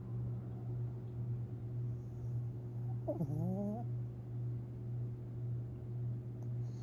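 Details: A sleeping, dreaming Long Haired Chihuahua named Tinkerbell, recorded April 17, 2021, gives one short whining whimper that bends upward, set against constant low droning and quiet regular breaths.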